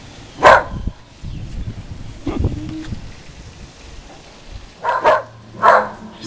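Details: Whippet dog barking at the Goodyear blimp flying overhead, a usually quiet dog in a barking frenzy; one sharp bark, then two more close together near the end, with a man's speech and outdoor rustling between them.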